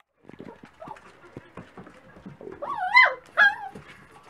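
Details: Dachshund puppies at breakfast time: soft scattered clicks and scuffling, then two loud wavering whines near the end, each rising and bending in pitch, about half a second apart.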